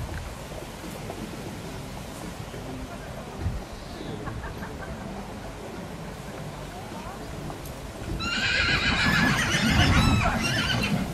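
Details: Holsteiner horses at the 2014 Holsteiner foal championship in Dithmarschen, second filly ring; after quiet crowd murmur and hoof sounds, a loud, shaking, high whinny breaks out near the end and rings for about three seconds.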